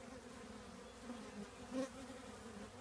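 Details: Short stretch of honey bee hum from a colony in an old trash can, a steady low drone with one bee buzzing briefly louder near the end.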